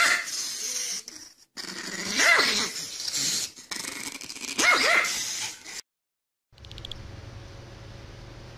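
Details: Dogs barking loudly in a funny compilation of angry barking and growling, with short harsh barks in two busy bursts, then a pause and a faint humming background.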